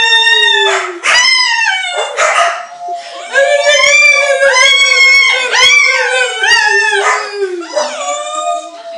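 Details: Pet dog howling along with a person who is crying, long wavering tonal wails that rise and fall, overlapping with a human voice, with brief breaks between howls.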